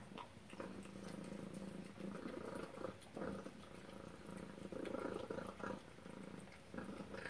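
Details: At suppertime, Tacy the cat purrs in a low, pulsing drone while eating chicken and duck, with soft chewing and scattered clicking sounds mixed in.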